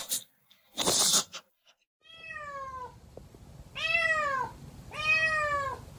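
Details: Domestic cat meowing in a funny pet compilation: after a brief loud burst of noise, three drawn-out harmonic meows, the first thin and falling, the last two fuller and arched, spaced about a second apart in a quiet room.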